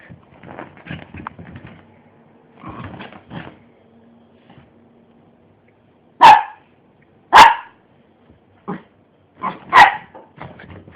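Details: Pet miniature pinscher romping on a bed, with scuffling and soft growly noises early on, then three loud, sharp single barks spaced about a second apart, followed by a quieter yap.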